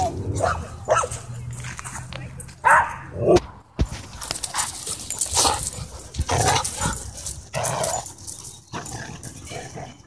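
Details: Dogs at a dog park during a scuffle in which an aggressive husky pins another dog: low rumbling growls and sharp barks in bursts, with people talking and shouting over the tussle.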